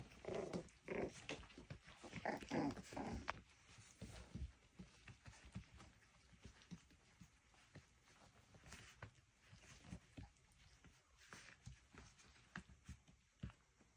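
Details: Miniature schnauzer puppies playing indoors: a burst of rough, throaty growls and scuffling in the first few seconds, then quieter scattered yips and thumps in a small room.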